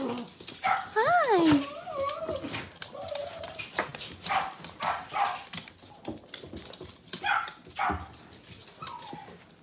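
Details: Cavalier King Charles Spaniel puppies or dogs in a home kitchen on a cloudy Monday morning: a clear, wavering, high whine rising and falling near the start, then short softer whines, with people talking and household noise throughout.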